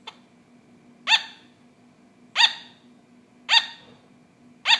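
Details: Barking from a pet sugar glider: three loud crisp yaps plus a faint one, spaced just over a second apart, high and harmonic-rich, against a soft background hum.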